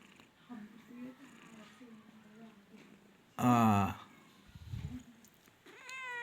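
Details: Nine-month-old male cat at a cat market in Khulna gives one loud, harmonic meow midway, about half a second long, between stretches of quiet human speech and a low thump.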